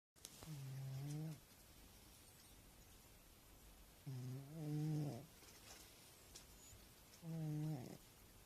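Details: An overweight domestic cat snores while sound asleep: three low, buzzy, harmonic snores, each about a second long, spaced roughly three seconds apart, with a quiet room between breaths.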